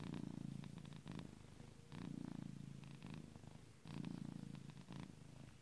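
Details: Domestic cat purring loudly while sleeping, likened to a tractor; deep rumbling purr in three long low-pitched bursts about two seconds apart, each breath pulsing rapidly, with quieter rasping between, indoors.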